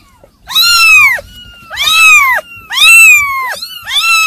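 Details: Long drawn-out kitten mews, three sustained high wails each arching up and sliding down, nearly back to back, in a quiet indoor setting.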